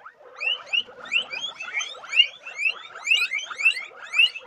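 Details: Guinea pigs calling together: short upward-sliding whistles with strong overtones come in uneven bursts about once a second, over a constant lower chattering murmur from the group.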